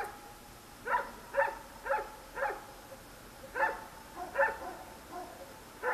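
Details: Night-time barking from one of many dogs near traffic, recorded on a Sony DSC-H200; clear sharp barks at roughly half-second to one-second intervals, about ten in all, over a soft background hiss.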